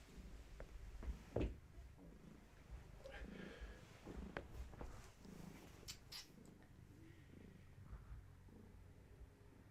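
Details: Low purring from Gaia, a long-haired tabby pregnant with many kittens, indoors during a bellywatch; continuous rumble broken by occasional taps, rustles and brief murmurs of handling.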